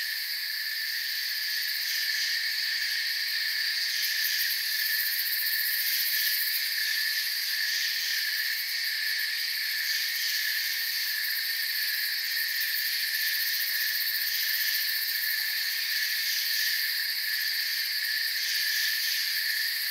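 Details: A forest cricket chorus, ceaseless high buzzing trills from many insects blending into one even shimmering layer, with faint flickers of individual pulses near the top and no other sounds.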